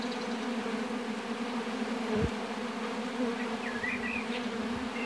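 A steady, low droning hum of many honey bees buzzing together at a hive.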